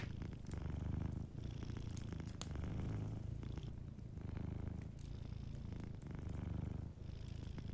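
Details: Gentle purring of a sleeping cat, a deep buzzing hum in repeated inhale and exhale cycles, with brief pauses between them and scattered crackles from a cozy fireplace.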